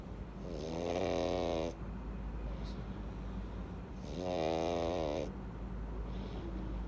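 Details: Pug named Louis (Rui) snoring loudly in deep sleep after filling up on treats; two long rasping, harmonic snores roughly three seconds apart, each with a buzzy upper hiss, quiet indoor room between breaths.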